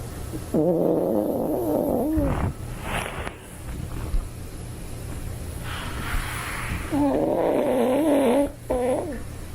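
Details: Asleep, a Toy Poodle gives two long tonal snores that waver up and down, about six seconds apart, with softer breathy sounds between against a low background hum.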